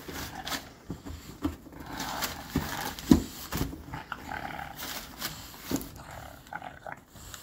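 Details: Young bulldog in a teething tantrum, rumbling low growls broken by sharp huffs and knocks, uneven and restless throughout.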